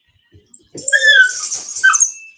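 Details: Cane Corso (Italian Mastiff) at an AKC breeder about an hour west of Nashville, Tennessee, giving a brief high, thin whine followed by a run of squeaky, wavering yelps that rise and fall, with faint rustling at the start.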